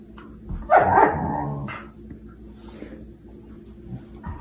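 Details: German Shepherd letting out a loud, rough bark that trails into a brief whine, then quieter low sounds over steady room hum.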